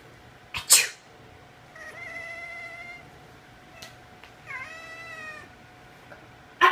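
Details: A Siamese cat, apparently objecting to sneezing, gives two drawn-out, steady, nasal meows between sharp human sneezes.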